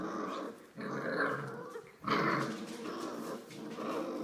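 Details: Olive's five-week-old Australian Labradoodle puppies indoors making continuous rough, raspy growls in long bursts broken by short pauses, like puppies wrestling at play.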